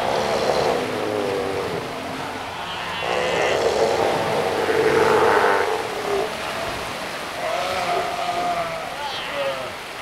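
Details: Northern fur seals (Callorhinus ursinus) on Dolgaya Rock in the Lovushki Islands, Northern Kurils, give harsh, bleating calls that rise and fall over a steady background rumble.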